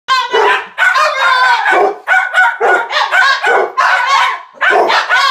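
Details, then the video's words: Dog giving an odd, broken-sounding bark used as an alarm: a run of hoarse, harmonic yelping barks in quick bursts of about half a second, nearly continuous across the stretch, with little pause between them. "My dogs bark is broken"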